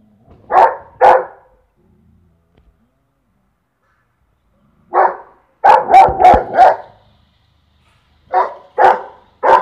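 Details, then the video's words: A Saint Bernard barks at a peacock with deep, booming barks, about ten in all, in irregular bursts of one to four with quiet gaps between. "St Bernard barking on peacock"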